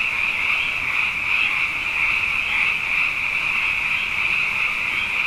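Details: Frogs in abundance after two wet years, calling night after night; a loud, even, high-pitched churring chorus with soft rises and falls every second or so.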